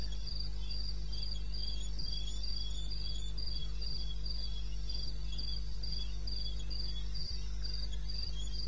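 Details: Wild crickets chirping at night in eastern Botswana, 2:30 a.m. on 21 May 2016; steady high pulsed chirps about three per second from one insect, a second weaker one overlapping, over low constant rumble.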